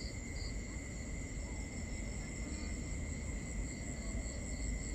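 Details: Nighttime crickets in binaural ambience, their continuous high-pitched trills holding steady at several pitches while a higher voice adds intermittent pulsed chirps, all set against a constant low background hum.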